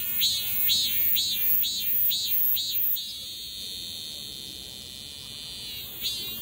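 A male cicada sings a shrill, high buzz, first in quick pulses, then as a steady drone.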